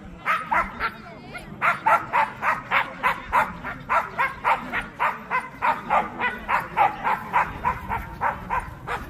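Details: Korean Jindo at the 67th Korea Jindo Dog Association best Jindo dog selection show, barking in a fast, steady series of short sharp barks, about three to four per second for nine seconds, with faint crowd murmur underneath.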